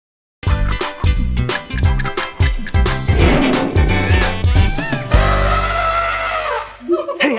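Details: Lively, rhythmic music plays throughout with a person talking over it. No animal sound stands out.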